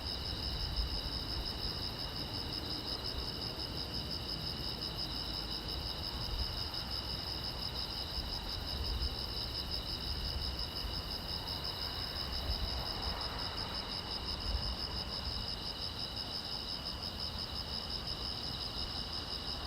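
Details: Crickets on a silent road at night fill the air with a constant, evenly pulsing shrill chirping in two high bands, dense and unchanging, with only a faint low hiss behind it.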